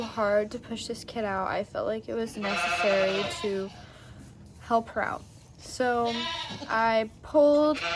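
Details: Labouring Nigerian Dwarf goat doe Maggie, delivering twins for the first time on a Northern California dairy goat farm, gives repeated harmonic bleats, some with a harsh, noisy edge, in bouts across the recording.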